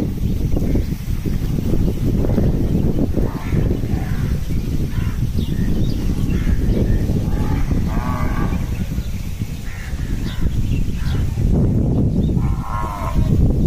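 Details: Cows given fodder on 14 May 2023; a couple of short, harmonic moos rise out of heavy low rumbling and general commotion, with scattered clatter throughout.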